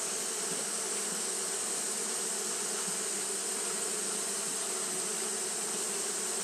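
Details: Steady droning of Japanese honey bees fanning in hot weather, the low hum even and unbroken throughout, with a persistent high, sharp hiss above it.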